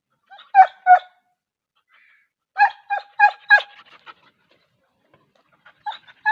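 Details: Wolf dog from Pakistan and Sindh barking in quick, sharp bursts: a pair of barks, then a rapid run of four or five, then a few softer barks near the end, against silence.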